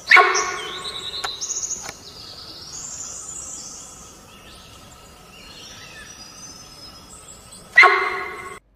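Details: A female sambar deer in Kaziranga National Park gives two loud, abrupt honking alarm calls about seven seconds apart, amid soft bird chirps; a double sambar call signals a tiger very near.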